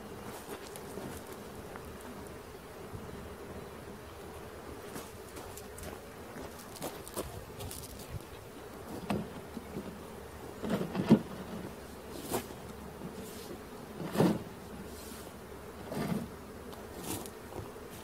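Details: Swarm of honey bees humming steadily as it is caught, a dense even drone with occasional clicks and soft thumps rising through the middle.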